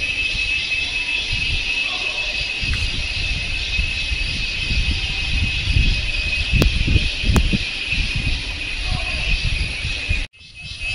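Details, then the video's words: Cicada noise from Kodaikanal and Thekkady, India, 2014: a continuous shrill buzz sits over rumbling low background noise, with two sharp clicks midway and a brief dropout near the end. "Noise Of Cicada In India"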